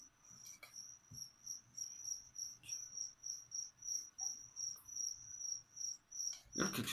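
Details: Crickets kept as leopard gecko food keep up a shrill, evenly pulsed chirping, about three pulses each second, with a faint knock early on and a burst of rustling handling noise at the very end.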